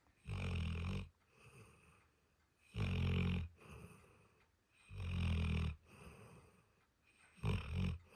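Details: Diesel, a pet dog, snores while asleep: loud, deep, rasping inhalations about a second long come roughly every two seconds, with faint wheezy exhales filling the gaps.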